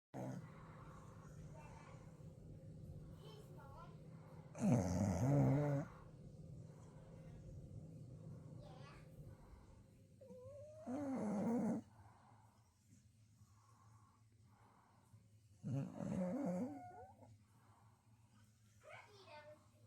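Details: A female beagle-bulldog mix, asleep on a couch, snores in loud, rasping, human-like bursts spaced several seconds apart.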